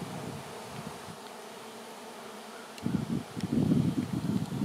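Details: A swarm of honey bees, airborne and gathering on a single branch before relocation; a quieter low hum gives way after a few seconds to a loud, pulsing buzz of many wings.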